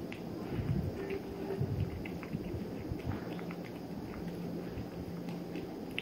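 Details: A 3-month-old male Maine Coon Persian mix kitten eating, with soft irregular crunches and clicks over a low rumble.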